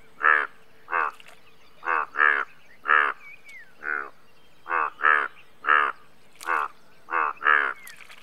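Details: Indian bullfrog calling repeatedly: about a dozen rough, buzzy croaks in eight seconds, some given in quick pairs, with brief gaps between and faint background hiss.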